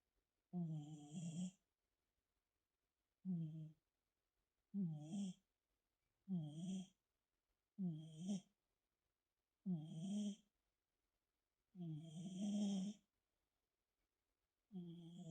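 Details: Sleeping tabby cat, its breath or snore in question, gives about eight rough, low, voiced snoring bursts roughly every one and a half seconds, each with a faint hissy upper edge, separated by complete quiet.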